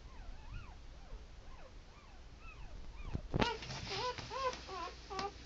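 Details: Pit Bull puppies only hours old, ten hours after the litter's last birth, give rising-and-falling whining squeaks in quick succession, then a burst of louder, rapid wavering cries with a couple of sharp clicks midway.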